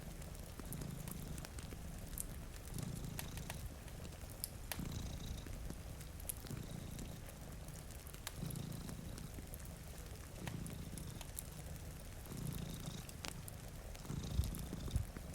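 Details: Two domestic cats sleep before a rainy window beside a cozy fire, purring in low, steady rumbling waves that swell every couple of seconds, with sharp fireplace crackles and a soft rain hiss throughout.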